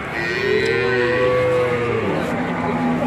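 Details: Male calf at a livestock dealer's yard in Grabag, Magelang, Indonesia, among limousin and simmental crosses. A drawn-out moo rises slightly, then sags and drops lower after two seconds, over faint chatter and yard noise.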